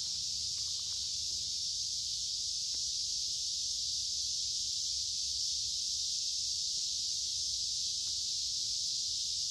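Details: Lots of cicadas in the woods along a creek, midsummer, humid and warm: a constant piercing high drone that never pauses, with a few faint ticks and low rumble in the background.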